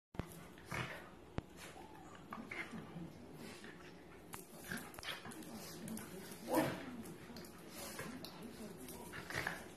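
Two Cairn Terriers growl, whimper and yip in short bursts during rough play.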